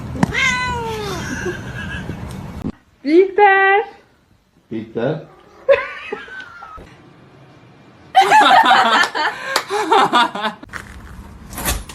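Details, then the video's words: Kitten meowing in a compilation of funny cat moments: a few rising-and-falling tonal meows at the start, then a pair of shorter cries, with talking, laughter and bursts of clatter taking over the second half. "kitten meowing cute"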